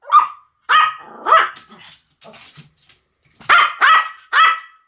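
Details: Pomeranians Sam and Marin in duet barking. Loud yapping barks open and close the passage. Softer, lower grumbling and growl-like sounds fill the quiet middle stretch.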